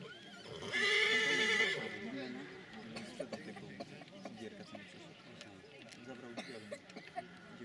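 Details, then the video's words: Silesian stallion giving a long quavering whinny lasting roughly a second, then fading into background murmur with men speaking Polish and occasional clicks. "ogier śląski"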